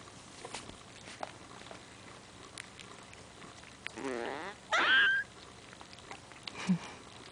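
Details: Five-week-old Maltese puppy yawning aloud indoors: a quiet room, then a drawn-out whining yawn with a falling, wavering tone, closing in a short high squeak and a soft low grunt.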